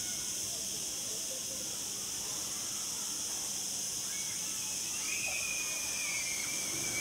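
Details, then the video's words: A cicada chorus on Mallorca, recorded 31 August 2019 in a resort garden at Punta Cana Resort: an unbroken high sizzling drone that swells slightly near the end, with a faint thin whistle-like trace. "Mallorca Zikaden Zirpen Cicadas"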